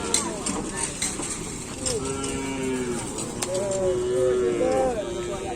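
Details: Several cattle lowing during full Kerapan Sapi bull race practice at the Asemanis track, Pamekasan; overlapping moos rise and fall in short arcs, the calls building in the second half, with crowd voices and sharp knocks in the background.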